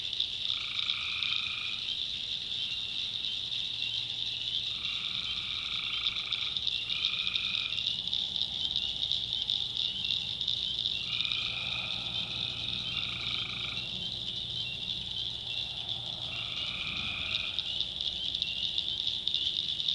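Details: Tree frogs calling at night in a swamp in the backwoods of North Carolina: about six steady, droning calls, each one to one and a half seconds long, rise above a constant high, shrill insect chorus.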